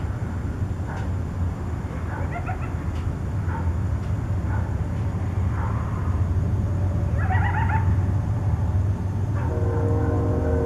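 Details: Nighttime coyote contact calls near Tucson: scattered short yips early on, then a wavering quavering cry and a longer steady tonal howl at the end, over constant low rumble.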